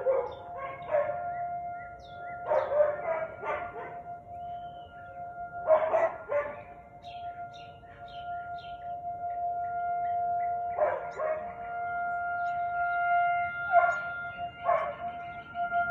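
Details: Barking Husky, recorded 13 March 2021 in the afternoon, 4:17 pm: clusters of two to four rough barks separated by pauses of a few seconds, with a constant pure-toned hum underneath.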